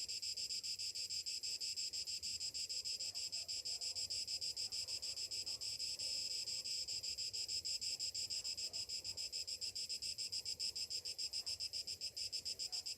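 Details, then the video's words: Steady high-pitched cicada chorus on a summer morning, a dense metallic buzz pulsing rapidly and evenly throughout, with no other clear sounds. "Morning summer cicadas sounds"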